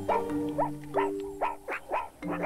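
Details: Meerkats in the Kalahari desert give short, sharp rising-and-falling barks in quick succession, the final, highest-urgency stage of their alarm at an approaching ground predator, after low- and high-urgency calls.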